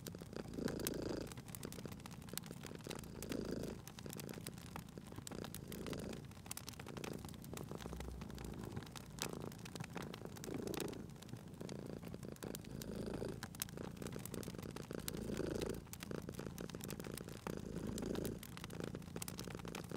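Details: A cat sleeping by a fireplace purrs steadily, its low throbbing rumble swelling roughly every two and a half seconds with each breath cycle; crisp crackling fire clicks scatter across the whole stretch.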